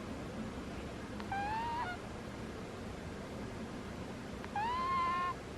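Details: Butters, a sleeping cat, snores in two squeaky, whistled notes, each rising slightly in pitch and lasting under a second, about three seconds apart, over a steady low room hum.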